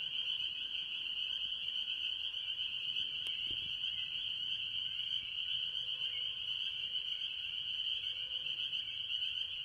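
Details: Early-year chorus of mostly spring peepers among various tree frogs at a farm pond: a steady wall of shrill, overlapping high peeps with no pause, plus one brief click.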